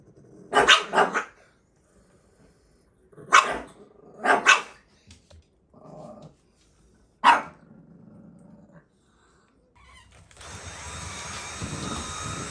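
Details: Younger male Pekingese picking a fight with his older male housemate indoors; bursts of sharp barks in pairs with low growling between them, then a hissing household noise rises near the end.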